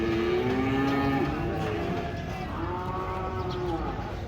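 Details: Large cattle unloaded from a truck give two long, low moos, the first steady then dropping, the second a sustained lowing tone, over a constant rumbling background noise.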